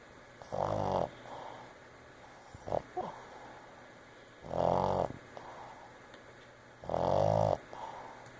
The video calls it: Boston Terrier Mocha Monster Snoring